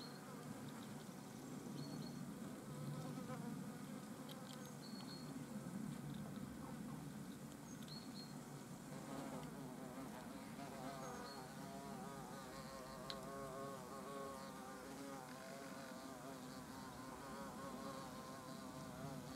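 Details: European hornets at their nest entrance, several buzzing at once: steady low droning wing hum with wavering harmonic stacks, individual insects rising and fading as they fly in and out, a faint tick near thirteen seconds.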